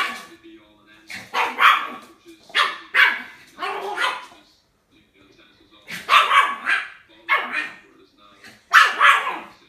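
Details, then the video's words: Puppy giving a steady run of short, bright barks spaced about a second apart, a brief quiet gap midway before the barking resumes in clustered pairs; from a compilation of cute puppies barking. "Puppies Barking - A Cute Dogs Barking Videos Compilation"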